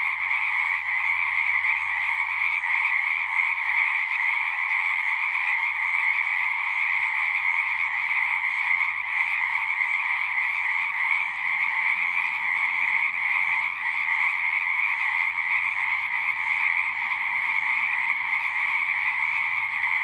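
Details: Many frogs calling together at a pond in a horse pasture, captured on a Zoom recorder. Continuous shrill, overlapping trills form an even drone throughout, with a faint low rumble underneath in places.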